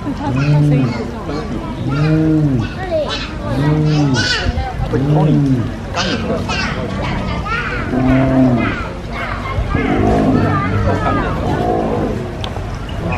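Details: Spotted hyenas at Taipei Zoo, awake, give deep, hollow moaning calls that rise and fall, repeated about every two seconds (unclear which one calls), seemingly calling a companion; people including children chatter nearby.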